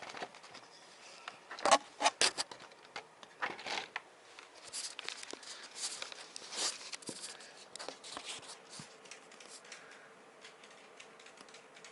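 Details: Rustling, crinkling and scratching noises in a small indoor room, with no animal call heard.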